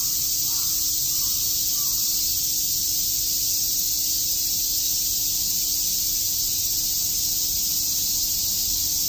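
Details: Cicadas chirping on a summer day at Shakujii Park in Tokyo: a dense, unbroken high-pitched hiss that holds steady for the whole stretch, with faint low background rumble.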